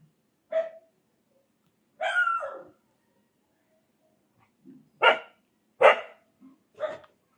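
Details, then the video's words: Indian desi dog barking in short, separate bursts, one drawn-out bark followed by quicker single barks over about seven seconds, with a faint background hum and some nearby speech. "Dog|Indian Dog | Desi Dog"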